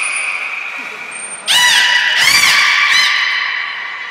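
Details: Port of Nagoya Public Aquarium belugas Hodoi, Taanya and Mirai in Japan, 23 February 2021, during pool moving and training sessions; a high steady whistle, then three buzzy pulsed squawks with arching harmonics about half a second apart, echoing indoors.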